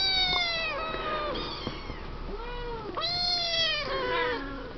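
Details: Seven-week-old Siamese kittens, offspring of Misty and Willow, in their pen; clear drawn-out meows, some falling and some arching up then down, follow one another closely.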